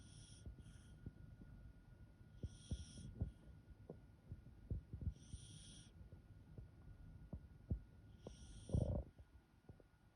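A sleeping Welsh Corgi snores softly with low, rumbling breaths and occasional thin, high nasal whistles.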